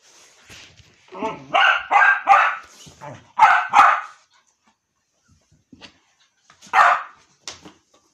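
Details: Jack the dog pesters his mother with a rough, whiny build-up and then a burst of five sharp barks in two clusters, a pause with faint clicks, and two more single barks.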